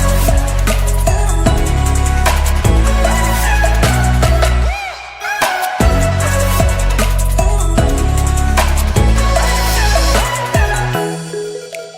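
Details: Loud pop-style music with heavy bass and beats plays throughout, briefly dropping out near the middle, and no animal can be heard.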